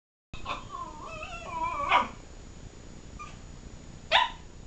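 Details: A female Miniature Pinscher whines in wavering, talking tones, then gives two sharp yelping barks, trying to wake her sleeping Chihuahua brother.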